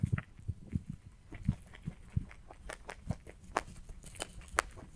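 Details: Rabbit eating hay, recorded close for ASMR: crisp crunchy bites and dry crackles repeating about twice a second, each with a soft low thump, over a quiet background.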